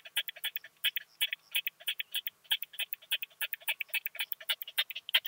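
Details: Curve-tailed plump bush-cricket recorded in Hohenbrugg an der Raab, Austria, June 2021: a fast run of dry clicking pulses, often in quick pairs, several per second, steady in loudness throughout.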